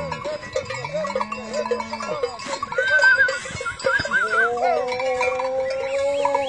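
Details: Cattle at a modern farm in Holland, 2019, giving two clear, steady, low moos of roughly two seconds each. Between them come a brief wavering higher call, a constant hum and clanking barn sounds.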